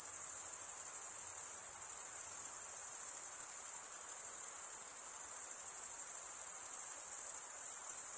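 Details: Chirping crickets, males stridulating with their wings, fill the air with a constant thin, high, buzzing trill, finely pulsed and nearly unchanging in loudness from start to finish.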